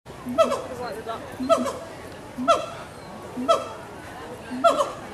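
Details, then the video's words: Gibbons at Animal Kingdom, Walt Disney World, 2018, calling to each other: five short harmonic hoots, each with a quick upward inflection, spaced about a second apart over a low murmur of background noise. "Gibbons Calling to Each Other"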